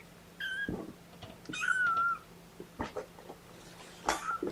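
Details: Kittens from Mama Seraphina's litter of four (three males, one female) protest indoors at being pottied before a weigh-in. Two drawn-out, thin, high mews are followed by a shorter third, with handling rustles and soft thumps between them.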